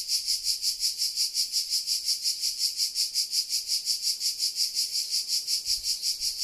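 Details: Sardinian cicadas calling at 13:00 in July 2020: a shrill, buzzing drone that throbs in regular waves about three times a second, dominating a quiet background.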